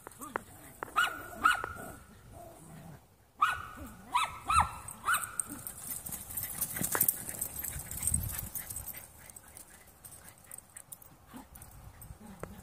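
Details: Three young Jack Russell mixes playing together: a burst of short, high yips and whiny squeaks in the first five seconds, with lower growly grumbles, then quieter scuffling and rustling play noises fill the rest.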